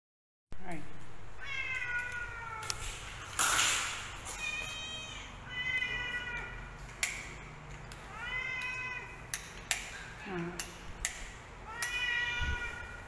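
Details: Pet cats meowing indoors: a run of clear, high, drawn-out meows, several in quick succession, some rising then falling, with sharp knocks and clatter between calls and a brief burst of noise early on.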